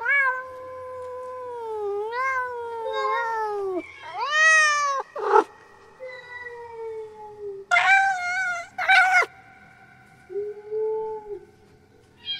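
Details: Cat; mating call; female in heat calling for a mate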